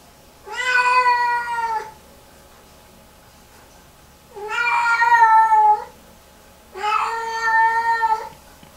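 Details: A Lynx Point Siamese cat gives three long, drawn-out, steady meows a few seconds apart in distress, hours after a bath, during repeated meltdowns in the bathroom.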